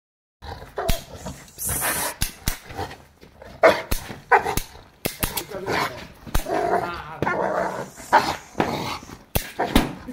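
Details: Boerboel, or South African Mastiff, one of a pair of dogs living in Egypt, barking in repeated short bursts mixed with excited huffs, while people talk close by throughout.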